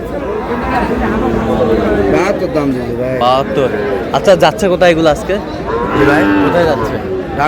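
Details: Sahiwal bull calf in Mymensingh, Bangladesh, on 18 March 2026, bought by a local farmer: drawn-out low moos with stacked harmonics, partly overlapping, beneath steady human chatter and voices close by.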